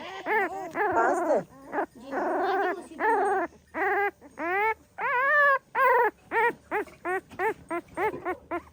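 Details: Pahadi dog mother watching over her puppies; a run of drawn-out whines gives way to shorter, sharper yips that come faster and faster, several voices overlapping, with no other sounds.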